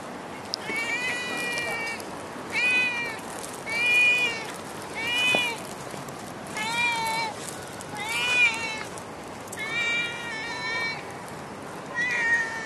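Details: Stray cat in Singapore meowing repeatedly, about nine drawn-out harmonic meows roughly every second and a half, some bending down at the end, over a constant low hum of street noise.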